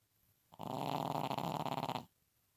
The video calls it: Pekingese snoring